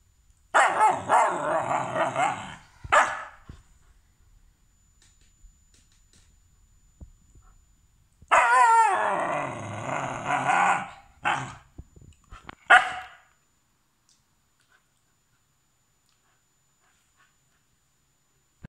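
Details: Malamute puppy that does not want to be filmed voices two long noisy howling, grumbling outbursts of about two to three seconds each, several seconds apart, each trailed by short sharp yips, then silence.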